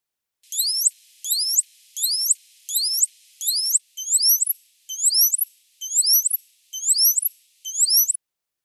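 High, sweeping whistles from a dolphin bend up and down in the same looping shape again and again. About ten of them follow at steady intervals under a faint hiss, the later ones slightly changed in tone.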